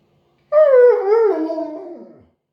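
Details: Vocal Siberian Husky giving a "talking" howl close up: a strong tonal start that slides downward, wobbles, then drops lower and fades over nearly two seconds, with nothing else audible.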